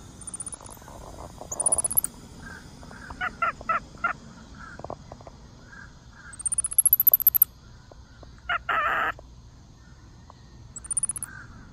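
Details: A monkey at Dade City's Wild Things gives thin, very high chirps that sweep upward, mixed with lower clicking and squeaky bursts.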